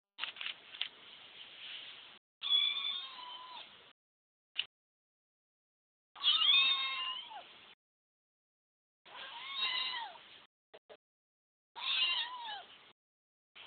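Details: A newly acquired domestic cat meowing repeatedly: drawn-out, wavering cries with falling tones, about five calls separated by short silences, some rising then bending down, in a quiet indoor setting.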